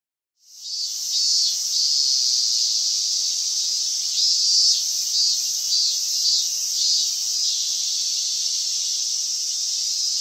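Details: Cicadas singing as summer ends, 19 August 2020: a loud, high, sizzling buzz starts abruptly and continues throughout, gently swelling and pulsing in intensity.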